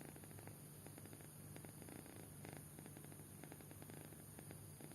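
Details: Kitten fast asleep indoors, snoring: a soft, low, rough rasp pulsing steadily in quick beats, a continuous rumble under faint fluttering breaths, with a steady hum in the background.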